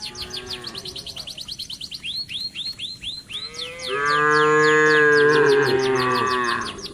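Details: Cattle eating residents' green grass: rapid high chirping sweeps repeat for the first four seconds, then a long, loud, steady, deep moo swells and holds for over two seconds.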